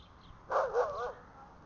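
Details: An Alaskan Malamute, untied near a parking area, gives a brief wavering, talkative woo that bends up and down in pitch.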